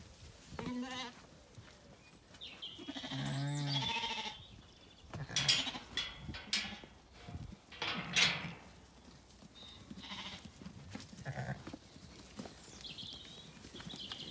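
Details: Zwartbles ewes on a farm in County Kilkenny, Ireland, calling at feeding time in a sunny orchard as the gate opens; a short bleat, then a long, loud, wavering bleat, followed by trampling hooves and rustling.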